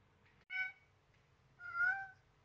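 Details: Seven-week-old Siamese kitten Selena, blue-eyed, calling out while being rough with a baby duck: a short bright meow followed a second later by a longer, fuller meow that swells then fades, against faint low hum.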